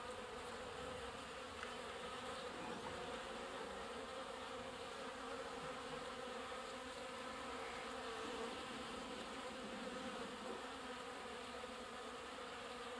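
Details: Honey bees busy drawing water at a watering spot: a sustained, even swarm drone with rich overtones, unchanging loudness and occasional faint clicks over thirteen seconds.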